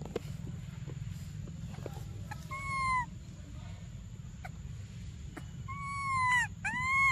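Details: Infant monkey named Briar cries for milk: after a quiet stretch with scattered clicks and taps, a few drawn-out, tonal wails rise and fall, ending in two close cries over a low hum.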